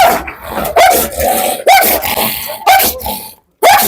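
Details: Dog that spent years kept in a cage gives a run of four sharp, ringing barks, roughly one per second, with short gaps of room noise between them.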